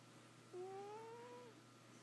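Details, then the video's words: Sleeping house cat Bootsie lets out one drawn-out, slightly rising whistle-like snore of about a second, clean with a faint upper overtone, over a constant low electrical hum indoors. "Bootsie snoring"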